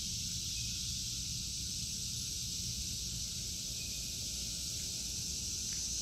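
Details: Summer cicada chorus in an August 2023 garden of vegetables, heard as an even, sizzling high drone, softer here, with rustling leaves and low background rumble.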